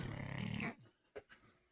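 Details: Bulldog snoring at 4am loud enough to wake its owner: one deep, rattling, pulsed snort lasting under a second, then near silence with a couple of faint clicks.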